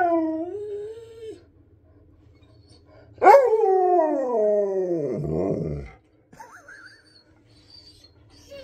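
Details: Treat-hungry husky inside the home: a fading howl, then a sudden loud, sharp-onset howl that slides steadily down into a gravelly, grumbling finish, followed by faint quiet sounds.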